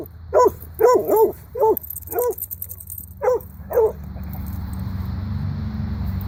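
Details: Playful pet dogs, Sophie and Boomer, during a wrestling and running session give about eight short, bright barks over four seconds, irregularly spaced, then fall quiet as a low background rumble continues.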